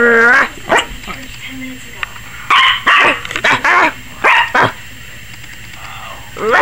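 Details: Maggie, a 21-week-old Yorkshire Terrier puppy, barks wildly, seemingly scared of the camera; sharp bright barks in short bursts, a few longer ones, with a human voice and a low tone early on.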